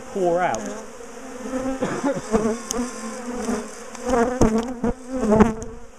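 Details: Honeybees from a big, defensive colony in a top bar hive as it is split, dismantled and moved; a steady low hum underlies loud buzzes of single bees that swell and glide in pitch as they fly close past.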